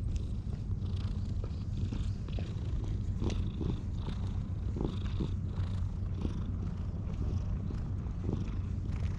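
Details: Stray cat, wary of people, purring as it is befriended, filmed on a GoPro: a steady low rumble runs through the whole stretch, with faint soft clicks and rustles above it.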